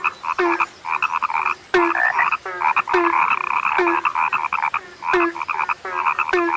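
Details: Rare frogs calling together: buzzy, ratcheting croaks pile up in overlapping bursts. Abrupt clicks mark each new bout, trailed by a brief deeper note, and the calling briefly slackens between bouts.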